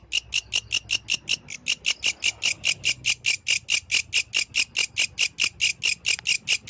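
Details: Loud, clear song of a yellow grasshopper in nighttime nature, a metronomic series of dry, scratchy pulses, around five each second, with almost nothing else audible.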